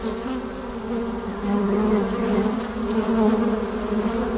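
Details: Many honey bees at a hive entrance hum together in a steady, low buzz, swelling slightly and fading as they fly in and out.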